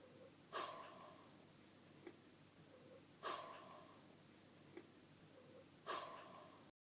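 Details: A dog gives soft, breathy sighs about every two and a half seconds; dogs sigh to express satisfaction or dissatisfaction.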